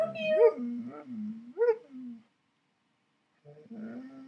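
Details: Alaskan Malamute vocalizing with its owner in bed, called talking: drawn-out, wavering, howl-like phrases that rise and fall, two close together, then a pause before a softer third phrase begins.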